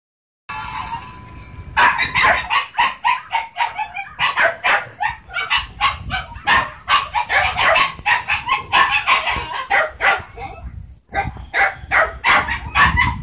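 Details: Smooth-coated female Portuguese Podengo Medio pup, 11 weeks old: rapid bursts of high, sharp yaps and barks tumbling over each other almost continuously, several per second, possibly more than one pup, with a brief pause near the end.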